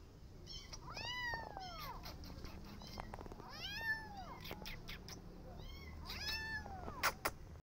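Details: Persian cat with her adopted kittens walking in a garden and carefully watching rabbits: repeated arched, plaintive meows rising then falling, about four separate calls over several seconds, over a soft outdoor background hiss with a few faint clicks.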